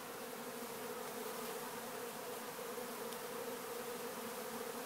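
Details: Swarm of honeybees at a sugar water feeder, producing an unbroken, even buzzing drone, layered and constant throughout with a faint airy hiss above.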